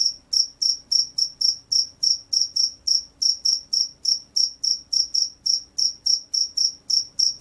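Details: Rice-field cricket calling energetically: sharp, piercing chirps repeated about three times a second in an even, unbroken train, with a faint low hum beneath.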